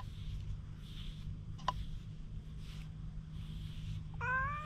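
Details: Wary stray cat recorded on a GoPro; mostly soft rustling and a brief click, then a single rising meow begins right at the end over a low background hum.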